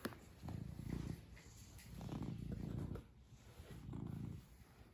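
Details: Black cat purring: low, rumbling purr in three steady waves about a second long each, rising and falling with each breath, quiet pauses between.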